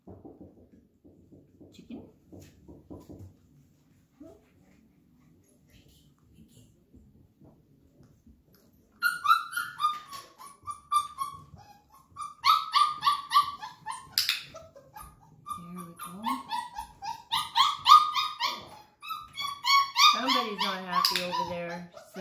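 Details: Flat-Coated Retriever puppies, 34 days old, during clicker introduction with chicken treats. One unhappy pup wants in, knowing where the food is. After near silence, high-pitched whines and yelps repeat rapidly, rising and falling, with small clicks.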